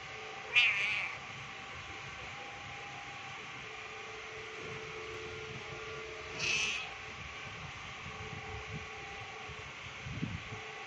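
A kitten gives two short, high-pitched meows several seconds apart over a steady background hum.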